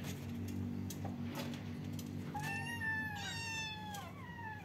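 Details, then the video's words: Kittens meowing together, a couple of thin high meows sliding downward in the second half over a steady low hum. "kittens meowing they talking at the same time, cute kittens meow-meow, cats sound"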